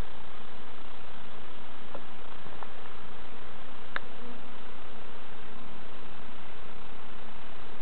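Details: Hives being checked by novice beekeepers at an allotment and community garden; the colony's continuous, even droning buzz fills the whole stretch, broken only by a few faint ticks and taps.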